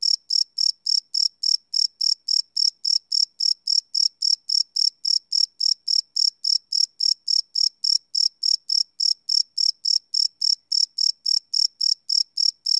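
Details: Live night recording of crickets made with a Sony PCM D100 field recorder; continuous high, ringing chirps pulsing steadily around three and a half times a second for the whole stretch, no background noise.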